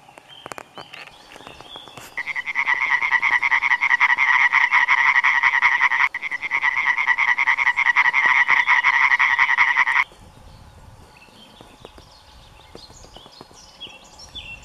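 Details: A large group of European tree frogs sits in low vegetation, recorded close up. They give a loud, rapid run of harsh, rattling 'kekkekkek' croaks, briefly pausing midway; the chorus carries several kilometres.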